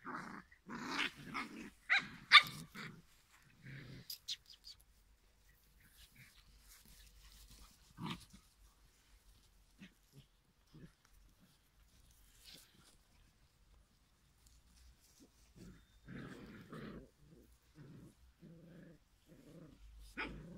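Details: Five-week-old Giant Schnauzer puppies from one litter give a burst of squeaky yips and small growls, then fall quiet.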